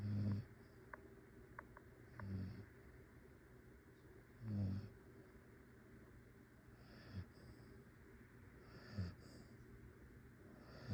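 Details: Yoya, a pet dog, snoring steadily in sleep, low rumbling snorts repeating roughly every two to two and a half seconds, fading softer toward the end in a quiet room.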